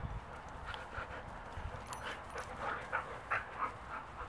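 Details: Wolfdogs playfighting while Mango, a 12-year-old Great Pyrenees mix, tries to break off the fight; short rough growling and snarling bursts recur at an irregular, rapid pace over scuffling.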